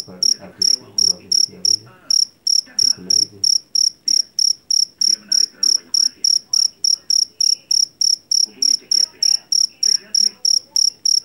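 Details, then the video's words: Over eleven seconds, a Javanese black field cricket (jangkrik jeliteng) from a paddy field keeps up a relentless shrill chirping, short pulsed bursts about three each second, with intermittent muffled voices and clatter underneath. "SUARA JANGKRIK PENGUSIR TIKUS SUARA ASLI"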